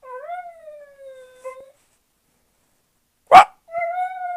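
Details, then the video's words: Westie named Kenzie howling like a wolf: a wavering, slightly rising then falling tonal howl, a short silence, then a sharp loud yelp followed by another steady howl. "Westie called Kenzie howling like a wolf"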